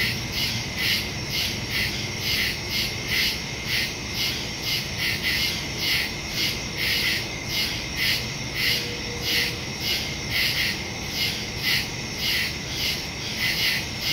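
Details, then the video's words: Crickets calling in the woods after dark, recorded September 2, 2023, on a Samsung Galaxy S22 Ultra fitted with a Shure MV88+ stereo mic; rapid, shrill chirps repeat nearly twice a second, layered and steady throughout. "Crickets in the woods at night"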